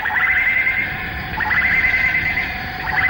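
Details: A dense chorus of male cicadas in the Malaysian rainforest, recorded in the late 1950s to early 1960s, sings at dawn or sunset: a steady, loud, shrill buzz that holds without a break, with faint surges as more insects join.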